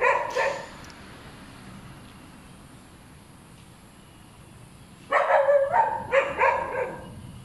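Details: Hyperactive dog barking noisily, with a short burst of sharp barks at the start, a quiet stretch of steady background hiss, then a run of rapid repeated barks over the last two and a half seconds.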